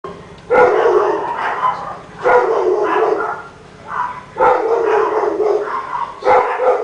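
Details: A neighbour's Rottweiler, heard barking all day long, gives deep, loud bursts of barking, each lasting over a second, about every two seconds.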